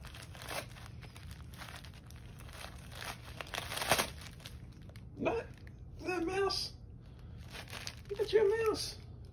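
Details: Female domestic cat known as the OK Cat, whose meow sounds like the word "okay", indoors. Two short, bending meows rich in overtones, about two seconds apart, follow crinkling, rustling and a person's voice.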